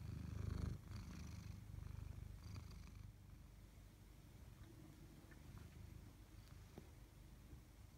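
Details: Purring tabby cat, Chloe or Koda, one of two pets. A louder, rougher rumble opens the recording, then settles into a soft, continuous low vibration pulsing about three to four times a second, with light rustling noises.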